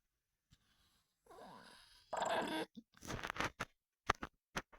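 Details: An Olde English Bulldogge, a male, snores with rough, rasping breaths, followed by short snorting bursts.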